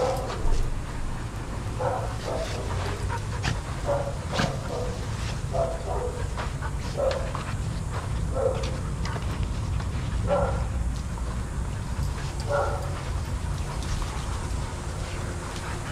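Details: Adoptable shelter dogs playing and running together at a daycare, giving short sharp barks and yips in scattered bursts, some in quick pairs, over a steady low rumble of background noise.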